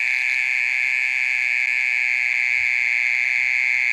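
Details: Mole cricket singing in the middle of the night, calling for over thirty minutes; a steady, unbroken high trilling buzz that holds one pitch throughout, with no other sounds.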